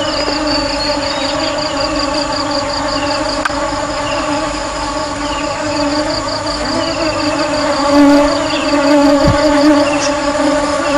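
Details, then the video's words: Honey bees buzzing in a steady, unbroken drone: a low hum with layered harmonic tones that swells slightly near the end, with faint higher chirping sounds scattered above. "Tiếng ong kêu"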